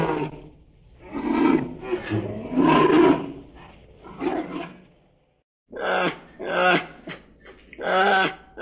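A bear gives a series of rough, throaty roars, each lasting under a second.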